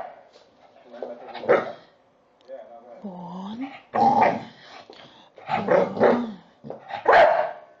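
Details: Leon, a 10-month-old Staffordshire Bull Terrier, gives short, rough barks and a rising whine, with some human speech.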